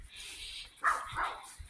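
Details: A Jack Russell Terrier, barking yet again in one of its repeated bark "concerts", gives two quick, sharp barks, the second slightly longer than the first.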